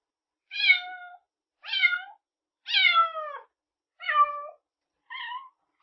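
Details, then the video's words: High-pitched kitten mews, five short calls in quick succession, each sliding slightly downward, spaced about a second apart, with no background noise. "Kittens | Cat sound"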